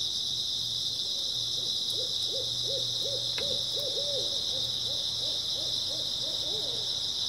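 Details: Grass insects on an early autumn night: a steady, high, shimmering chirping chorus. A lower series of about fifteen quick, evenly spaced hoots runs through the middle, along with a faint low hum.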